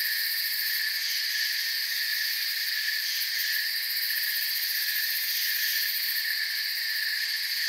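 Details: Steady forest cricket chorus, soft chirping heard as bright overlapping trills in several high bands, even in volume from start to end, with no other sounds present.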